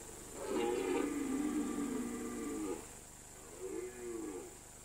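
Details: Red deer stag in the autumn rut, September or October, on a mountain alpine meadow; one long, loud, groaning roar of over two seconds, then a shorter, quieter bellow, over steady hiss.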